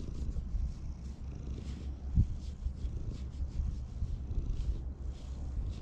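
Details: Community cats that live together in a park purr while being petted, recorded with a GoPro HERO8; a steady, deep, pulsing rumble runs unbroken through the clip, with soft rustling handling noise above it.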